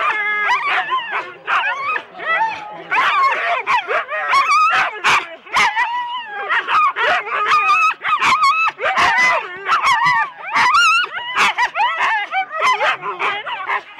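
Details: Four-dog Husky teams waiting at the race start in Rendlesham, January 2016: many dogs yip, whine and bark over one another in an unbroken, frantic chorus, with short dips and some human voices beneath.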